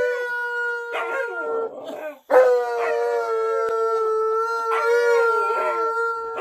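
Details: Indoor Alaskan Malamute Tonka, who follows the owner into the bathroom, howls: a long, steady, clear tone broken once by a short pause, then resumed and held for several seconds with small wavering inflections.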